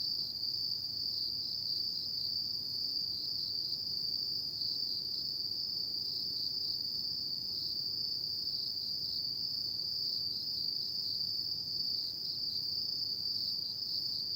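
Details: Autumn insects calling at night: a dense, unbroken high-pitched ringing chorus that holds steady for the whole stretch, with a faint low background hiss and no other clear sounds.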